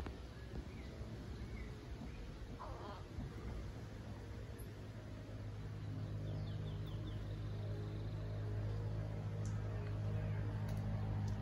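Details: Howler monkeys at the Community Baboon Sanctuary in Belize, a male calling back: a deep, droning roar builds from midway and grows steadily louder to the end, over a faint earlier chorus of small bird chirps.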